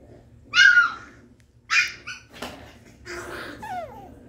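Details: Havanese puppy named Emilee, also called Meghan, gives two short, sharp, high yaps followed by a falling, whimpering yelp near the end, with faint voices in the background.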